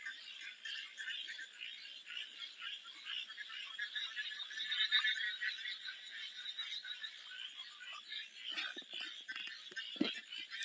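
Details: Many frogs croak at once in a thick, high-pitched rasping chorus that swells and fades. Near the end, several short knocks and a sharp thump cut through.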